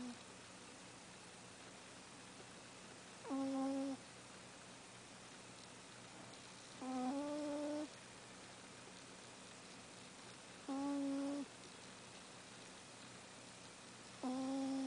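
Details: Ram, a pet cat, snoring indoors: four soft, whistling, tonal snores, each about half a second long, spaced roughly three to four seconds apart with steady breathing rhythm, over a quiet room background.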